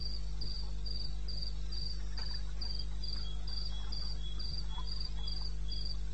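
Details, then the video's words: Crickets calling at 02:30 AM in the eastern Botswana wilderness, 21 May 16: an even train of sharp, high chirps roughly three a second, a fainter lower caller weaving between them, and a continuous deep hum underneath. "1 Hour cricket sound"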